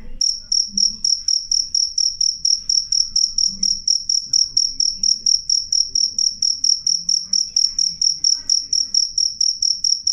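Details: Cricket chirping loudly and clearly, offered for repelling rats: a piercing high trill pulsed in rapid short bursts, about two per second, steady throughout, with faint low background rumble.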